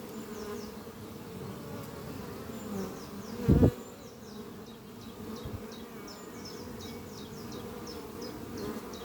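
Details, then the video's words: Honey bee workers fly in and out of the Doppio hive beneath trees on a spring morning, bringing in pollen. A continuous low buzzing drone carries on, with one loud thump midway and repeated high twittering bird phrases overhead. "Relaxing sound of bees flying at beehive Doppio on a spring morning"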